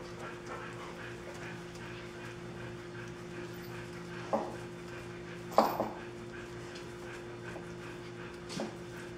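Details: Dirty puppies on day 27 before their baths: three brief, sharp whimpering yelps spaced a few seconds apart, the middle one loudest, with soft panting-like rustles and a constant low hum behind.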